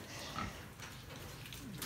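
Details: Young piglets, raised by a sow and sold after 38 days, making brief harsh grunts with a thin squeal near the end over continuous low hum.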